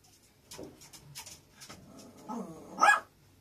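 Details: Male puppy indoors: a few seconds of soft tapping and rustling, then one short, sharp bark near the end.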